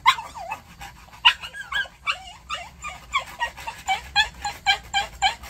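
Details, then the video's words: Maltese dog protesting nail care with rapid high yelps and whimpers, some bending into wavering whines, repeated several times a second in an agitated stream across the whole stretch. "Maltese Dog Nail Care Reaction"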